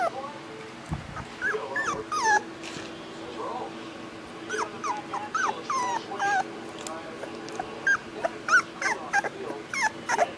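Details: Boxer puppy giving high, thin whimpers and squeaky yips in short wavering clusters, some rising and falling, scattered through the recording, with a person's voice talking nearby.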